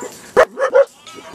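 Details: Norwegian Elkhound barking at the 2008 national dog show in Rochester, MN: a sharp single bark followed by two shorter yips about a quarter second apart, with faint indoor background.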